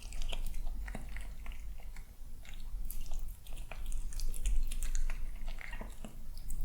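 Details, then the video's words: Male kitten eating his breakfast indoors at home on a peaceful morning, a little cautious. Crisp, irregular crunching clicks come several times a second over a steady low room hum. "Watch Kitten Enjoy Breakfast!"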